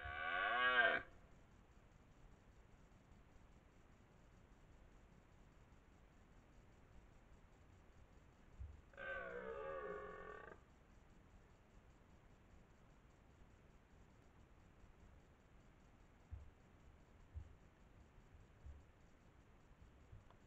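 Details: A 12-point red deer stag, master of the area near Lartigau-Milhas, France, gives two deep, rough, drawn-out roars about ten seconds apart during the 2023 rut.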